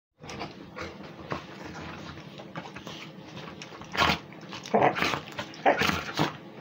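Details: Pitbull and a Beagle–Basset Hound mix playing together; rough growls and snorts with sharp louder bursts around the middle and end, plus thumping movement noise.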